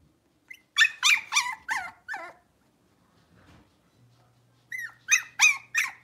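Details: Six-week-old blenheim Cavalier King Charles Spaniel puppies, a litter of five born on New Year's, in a home puppy pen. A quick run of five high, harmonic yips, a pause, then four more sharp yelps.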